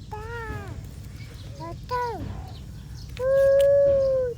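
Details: A dog gives three high, tonal whines: two short falling cries, then a longer steady drawn-out whimper that sags at the end. A constant low hum sits beneath.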